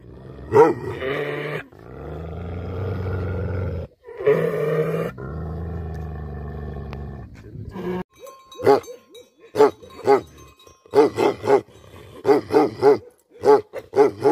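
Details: Angry Tibetan Mastiff, known in Nepal as Bhote Kukur: a sharp bark, then drawn-out deep growls and roaring snarls, then a long series of short, punchy barks, often in pairs, with brief gaps.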